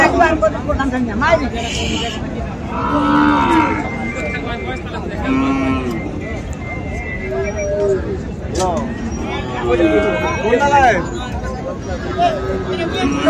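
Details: Bull calves, Friesian and crossbred, lowing at Ambari market, Dinajpur, 19 February; several long mooing calls, some rising to a higher bawl, amid busy market babble, voices and passing vehicle noise.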